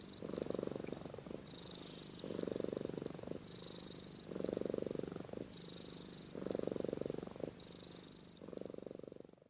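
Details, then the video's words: A sleeping house cat named Amy purrs and snores, her low rumble alternating regularly between loud one-second surges and gentler purring, about every two seconds, with faint high ticks in the background. "Compilation of Amy Purring & Snoring"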